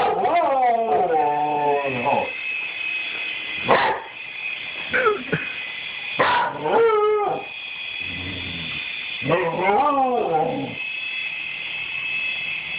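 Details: Rusty the dog barks at a toy helicopter: bursts of wavering, yelping barks that rise and fall in pitch, some drawn into short howl-like whines, in four main bouts, over the constant high whine of the toy's motor.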